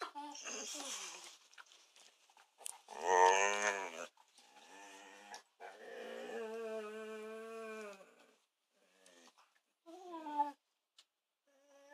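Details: Two pet dogs, a kelpie and a kelpie-labrador cross, vocalizing early in the morning to wake their owners: drawn-out, wavering whines and howl-like cries with rich harmonics, separated by brief pauses, ending in a few short yelps.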